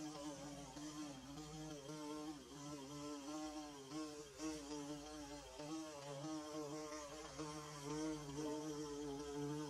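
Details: Bees buzzing as they construct their nest, a steady multi-voiced drone with wobbling harmonic bands and small rises and falls in loudness, a few faint ticks scattered through.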